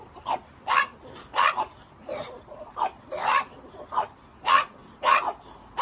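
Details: French Bulldog kept as a pet, letting out short sharp barks and yips in irregular bursts, roughly every half second to a second, each one abrupt and punchy.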